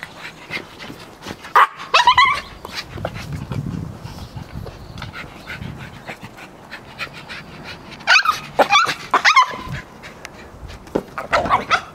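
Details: Overexcited Yorkshire Terrier playing with a ball, giving sharp high yaps in short bursts around two and eight to ten seconds, with scuffling and a person's voice in between.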